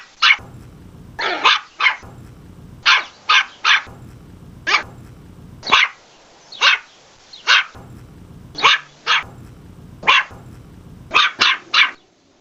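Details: West Highland White Terrier barking in sharp, high yappy bursts, often in quick pairs or triplets, about twenty barks spread irregularly across the recording with a low hum underneath.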